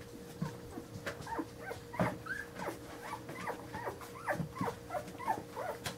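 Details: Daisy, a mother dog, waking her puppies: a busy run of short, high whimpering yips and squeaks, roughly two each second for six seconds, over soft pattering and a steady low hum.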